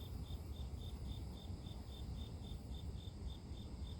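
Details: Grass insects heard as a nature sound for inducing sleep, giving short, high, ringing pulses in an even rhythm, roughly three to four each second, against a steady low-pitched rumble and soft high hiss.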